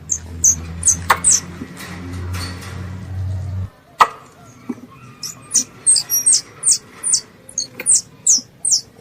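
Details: Calling to its mother, a pest squirrel gives a few thin high chirps over a droning low hum, then after a sharp click the hum stops and a steady series of bright, high chirps follows.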